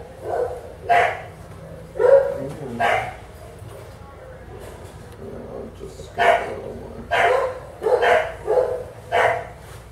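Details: Bulldog being examined with a skin scrape for demodex mites at a southern California vet practice, letting out short rough barks in clusters, with a person talking in between.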